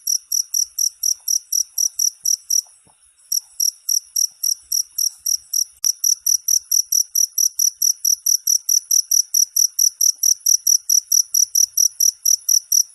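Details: Cricket chirps meant as training material for songbirds, a fast run of high shrill pulses that falters and briefly drops out near the three-second mark, resumes, and carries on past a single sharp click.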